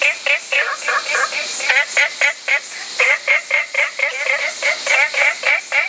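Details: Short, bright croaks from an olive frog repeat quickly in clusters of three to five, separated by short gaps, with a faint background hiss.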